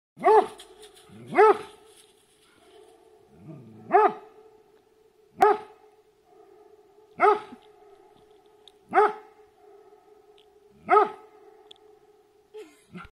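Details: Female Rhodesian Ridgeback barking at her own echo at Inland Lake, British Columbia: single deep, sharp barks spaced about every one and a half to two seconds, each followed by a faint echo, over a steady low hum.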